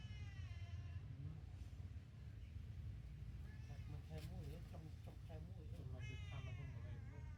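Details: Newborn kittens suckling from their mother cat mew in high, quavering bursts at the start and again near the end, with wobbling lower cries between; people talk in Khmer over constant low rumble.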